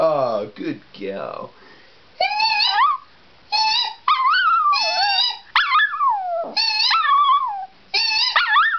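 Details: Penny the pet dog howls in response to a person's high-pitched noises: squealing at the start, then a run of short, sliding, yodel-like howls, each about a second long, rising and dipping in pitch.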